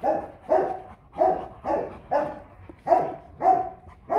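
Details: Powerful barking from a Rottweiler guard dog at a kennel: a steady series of about eight deep, resonant barks, roughly two each second, with no other sounds.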